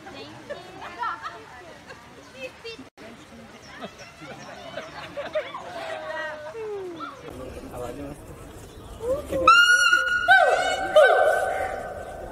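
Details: Gibbon. Gibbon song arrives late: sharply rising whoops followed by sustained, clear hooting notes that ring out strongly. Before that, people talk and babble in the background for several seconds.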